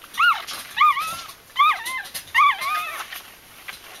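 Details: A litter of Bichon Frisé puppies crying: four thin, wavering whines in a row, each bending up then sliding down, spaced roughly every three quarters of a second over light hiss.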